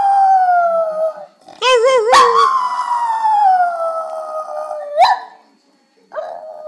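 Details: Singing dog gives a long sinking howl, then a warbling, wavering note that breaks into a sustained, slowly falling tone, ending with a brief rising yelp and a softer final howl.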